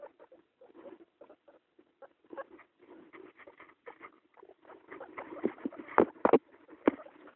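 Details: A mother guinea pig with two young gives soft, irregular, quick, low chuttering pulses that build to a few louder bursts.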